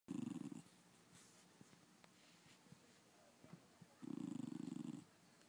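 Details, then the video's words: A miniature American Eskimo Dog gives two low, rumbling, pulsed grumbles separated by a quiet pause. "Bear making noises"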